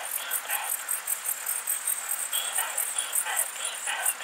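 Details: Short-tailed plump bush-cricket (Isophya brevicauda) singing in Muhrtal, Austria, on 24 July 2022: soft, rapid high-pitched ticking pulses repeated steadily about every fifth of a second, with faint lower hiss beneath.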